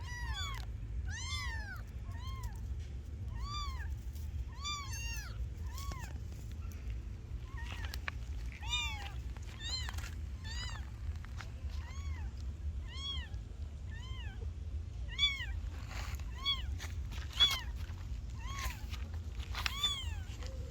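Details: Several kittens mewing continuously, a dense overlapping chorus of short high arched cries at fairly even loudness, some fainter and more distant, over a strong low rumble.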